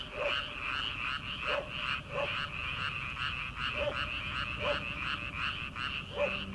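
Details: Frogs in rice paddies on an early-summer night, before rice transplanting, croaking in a steady rapid chorus, with lower single croaks breaking through roughly every second and a faint hum beneath.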